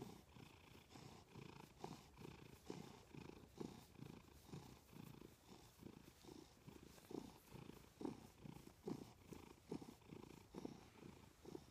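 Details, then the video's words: Loud indoor purring from Milo, a cat resting next to its owner in bed: a low, buzzy rumble swelling on each breath cycle, about seventy cycles a minute, fairly even. "My Cat Purrs Loudly!"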